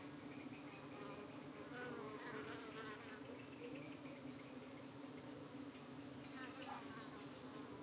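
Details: Steady hum of honey bees at a hive in the UK, evening, while flies attack and try to cling to the bees' abdomens; continuous low drone overlaid by wavering buzzes of individual insects flying close.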